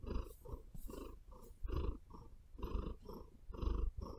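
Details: Close, intimate purring of a female house cat, low rumbling swelling and fading in alternating breaths about twice a second, soft and steady, with faint claw sounds against bedding.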